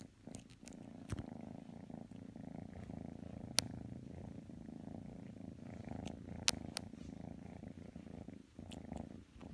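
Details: Kitten Matsumoto purring while snuggling with Tanka the pit bull indoors; a steady low rumbling purr runs throughout, with a few sharp clicks and taps over it.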